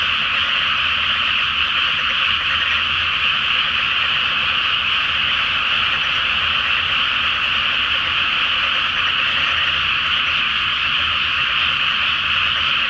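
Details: Night chorus of many frogs in a water-filled paddy before rice planting, full moon overhead: thick, constant churring and croaking that never breaks, uniform in loudness from start to end.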